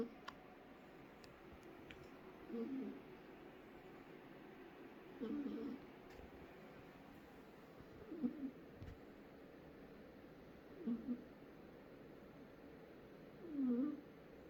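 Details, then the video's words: Cat asleep and snoring, five nasal, faintly whistling snores at roughly three-second intervals, a few soft clicks in an otherwise quiet room. "Кот храпит. Кот спит и храпит."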